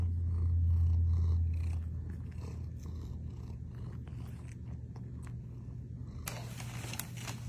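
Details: Domestic cat purring: a continuous, even low rumble with a regular pulse, loudest at the start, and a brief higher rustle or crinkle near the end.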